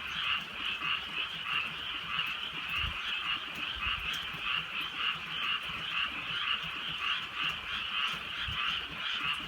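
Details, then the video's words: Frog croaks filling a rural night in light rain; a regular train of short rasping notes repeated under a constant chorus, with a few dull low thumps in the background. "개구리 소리"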